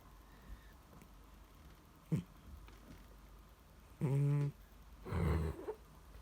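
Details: Sleeping cat indoors, so deeply asleep that attempts to wake it fail. After a few faint rustles come two low, buzzy snores about a second apart, the second rougher and breathier.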